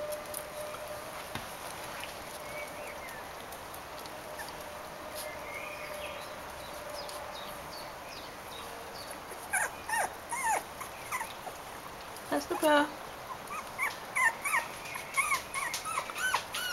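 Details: Bichon Frisé puppies, a litter aged four weeks and five days, at a kennel in Vejle. After a quiet, hissy start, bursts of short high squeaks and whines rise and fall, clustering densely in the second half.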